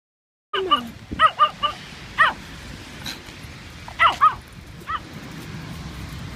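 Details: Pomeranian dog wearing rain boots, yapping in short, high-pitched bursts: a quick run of four yips, a single yap, then a close pair and one last yip after a pause.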